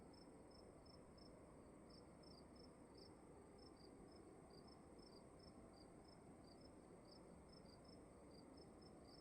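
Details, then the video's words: Crickets indoors in a room at night: steady high chirps repeated several times a second, two slightly different pitches overlapping, over a constant low hiss of room noise. "Sound of emptiness and crickets in the room"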